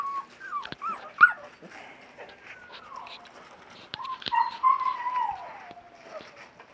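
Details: Thin, sliding whimpers from young West Siberian Laika pups, 37 days old, in an outdoor puppy pen on their first day outside; a couple of cries drop slowly in pitch, with faint clicks and rustling between them.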